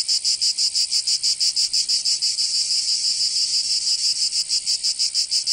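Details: Cicadas singing in summer in Provence, southern France: a dense, loud, high buzzing drone pulsing about three times per second in a steady rhythm, with no other sounds.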